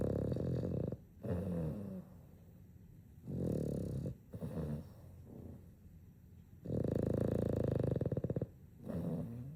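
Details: Two Boston Terriers snoring together while asleep indoors; low rumbling snores come in bursts of about one to two seconds with short quiet gaps, rough and throaty, repeating unevenly through the recording.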